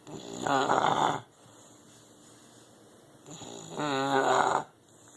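An English bulldog snores in two long, rattling breaths a few seconds apart.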